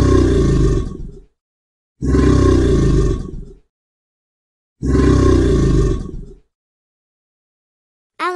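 An alligator gives three deep, rumbling bellows, each over a second long, with pauses between.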